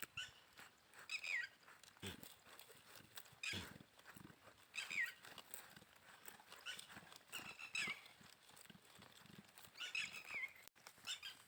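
A goat gives high, wavering bleats that break and drop in pitch, repeated every couple of seconds.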